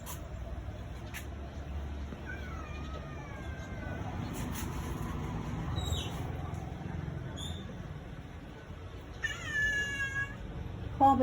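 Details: Domestic cat that likes riding in the vehicle, crying after the departing father and older brother and refusing to get down; a few thin, drawn-out wavering meows spaced through the clip over vehicle rumble and a person talking.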